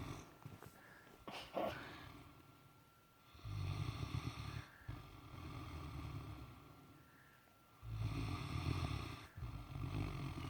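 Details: An exhausted Great Dane sleeping in the morning snores in deep, rumbling breaths, each drawn-out snore lasting a couple of seconds.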